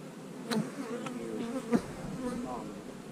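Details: Honey bee colony being opened and divided into splits: a low buzzing drone beneath a few sharp taps and clicks of frames being moved.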